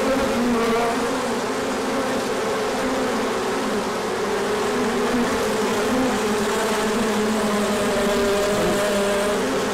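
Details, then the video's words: Honeybees making a large orientation flight as sun breaks through after cold days; a continuous, busy buzzing swarm sound, passing bees adding brief shifting tones over the steady hum. "Large Orientation Flight."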